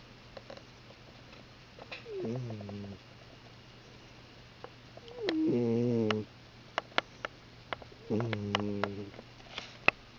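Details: Pet cat snoring loudly: three low, buzzy, droning snores, each lasting about a second and spaced roughly three seconds apart, with scattered faint clicks and ticks between them.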